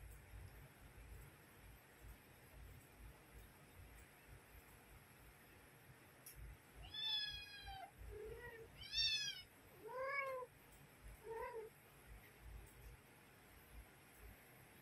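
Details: A mother cat calls her kittens to feed them, giving a run of loud, bright meows from about 7 to 12 seconds, some high and arching, others shorter and lower, over a quiet background hum.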